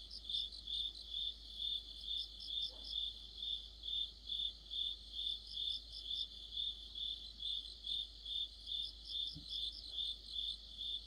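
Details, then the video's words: Crickets chorusing in the middle of autumn beside a streetlight, a clear rhythmic high chirp roughly twice per second, joined by clustered higher trills at the start and end and faint low knocks. "가을의 한 복판 곤충들의 합창"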